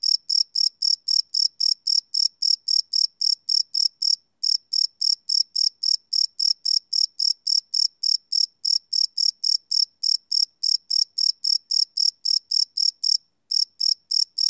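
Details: High-pitched cricket chirps at night, recorded live with a Sony PCM D100 field recorder; a steady train of short ringing pulses, roughly four per second, broken by two short gaps, in an otherwise quiet setting.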